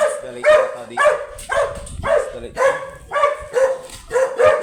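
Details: Teacup chocolate Pomeranian at a stud service in Pugaro, Manaoag, Pangasinan, giving sharp, high yapping barks in a steady run of about two per second, each bark bright and ringing, with faint human voices underneath.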